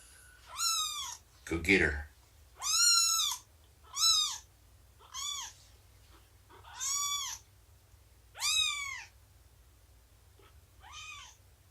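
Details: Domestic cats indoors during morning snuggles, nursing and play time with the mother cat Shelby and her three-month-old kittens; seven high, arched meows follow each other every second or two, with a brief human voice near the start.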